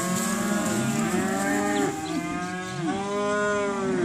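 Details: Group of 215 kg calves at auction lowing together, several long harmonic moos overlapping, some sweeping downward at their ends, with a faint hiss behind.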